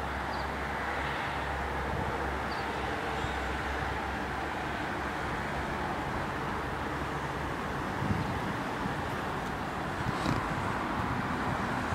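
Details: Steady broadband rumble of passing vehicles, like train or road traffic outdoors, with a faint clatter near the end and no animal voices.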